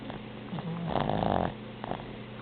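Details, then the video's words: Boston Terrier snoring indoors: one low, rough, rattling breath swelling and fading over about a second, with softer raspy breathing before and after. "Boston Terrier Snoring"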